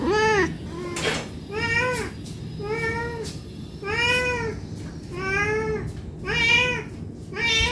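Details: A hungry house cat begs for food with a string of seven arched meows, some short and some longer, about one each second, plus a few sharp clicks and knocks between the calls.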